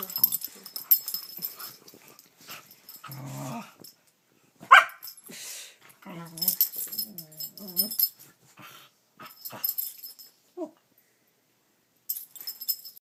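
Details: Pet dog Gidget making silly noises: short wheezy grumbles and throaty growls in uneven bursts separated by quiet gaps, with one brief high squeak late on and faint rustling throughout.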